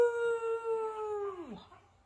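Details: Four-month-old pug puppy giving a single long, steady, tonal howl with a rich harmonic ring, held level for over a second before sliding sharply downward and fading out.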